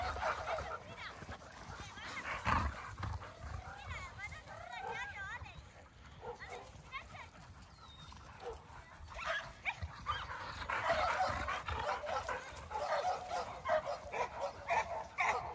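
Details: A Labrador Retriever at home gives high, wavering whines and short yelps while people talk nearby.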